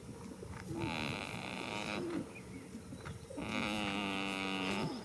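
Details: Two long, buzzy, wavering snores from a goat asleep in a field on the first day of spring, each held for over a second with a quiet breath between, over faint outdoor hiss.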